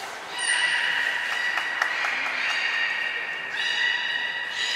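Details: Training session with belugas Mirai and Nico at Port of Nagoya Public Aquarium, 20 February 2021: a sustained, reedy harmonic tone runs throughout, broken by quick clicking pulses, with a second brighter tonal call rising near the end.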